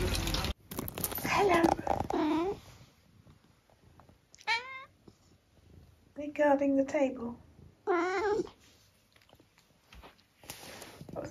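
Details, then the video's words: A 12-year-old tabby from the UK named Eric, outdoors on a rainy day, answers with a string of four or five wavering meows, some short and chirpy, others drawn out, between bursts of a woman talking. "‘Send help’ - Eric, the cat."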